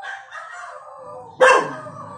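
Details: A 1-year-old cockapoo puppy, barking at dogs on the TV, gives a single sharp, high bark after a drawn-out, falling whine.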